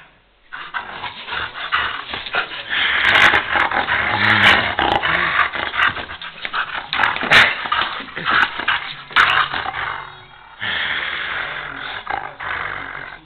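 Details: Eager to play after a rainy day, a bored female German shepherd gives loud, rough growling and whining sounds in dense irregular bursts, quieter near the start and after a pause near the end.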